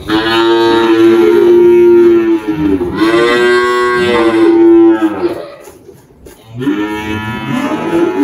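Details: Malhada, an 18-year-old spotted Girolando cow on a farm in Anápolis, Goiás, Brazil, in March 2023, recently calved a heifer. She gives long, loud, harmonic-rich moos, two sustained bellows with a short dip between.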